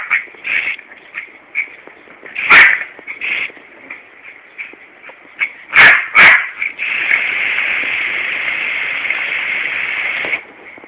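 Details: Larry, a Yorkshire Terrier in a Corby garden on a warm summer heatwave day, attacks a hosepipe as the lawn is watered. He gives one sharp bark, then two quick barks close together, over the steady hiss of spraying water.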